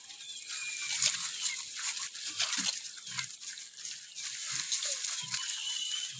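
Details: Morning activity of wild boar, heard as short, low, muffled grunts repeating roughly every half to one second against a constant high-pitched insect drone.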